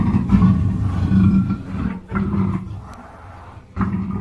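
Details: Black panther giving a deep, rumbling growl in long low bursts, each lasting about one to two seconds, separated by brief pauses.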